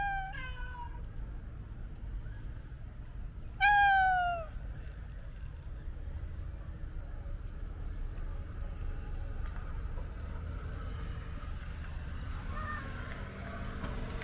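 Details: Domestic cat giving a brief meow, then a louder, longer meow that slides downward in pitch, followed by about ten seconds of quiet background rumble.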